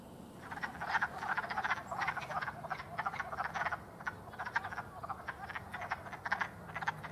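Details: A chorus of wood frogs (Lithobates sylvaticus) in April gives rapid, clucking croaks that overlap into a steady, duck-like chatter.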